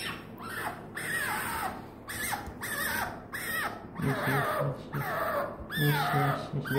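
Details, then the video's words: Hesoten, a female pet fennec fox, calls sweetly to her owner: a run of high, whiny, harmonic cries that bend downward, repeated in bursts about every second, with a man's low repeated replies joining in the second half. "Hesoten sweetens his daddy with a very sweet voice."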